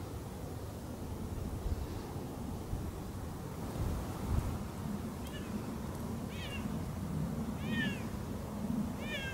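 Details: Siamese cats Otani and Yozora on an off-leash walk through a meadow; short falling meows, harmonic and fairly faint, start after a quiet stretch and repeat four times in the second half, over low rumbling outdoor background noise.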